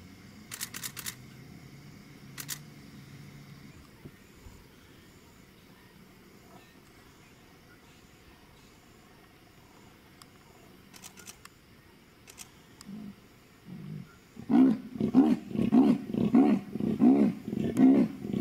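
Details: At sundown in Mashatu after recent rain, a female leopard is followed by vehicle; after long quiet with camera clicks and low hum, a late burst of about eight rough, rhythmic sawing rasps closes the recording.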